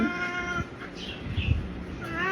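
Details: A big male orange pet cat at home gives a drawn-out, steady meow, then a short rising meow near the end, with a person speaking in Bengali between the calls.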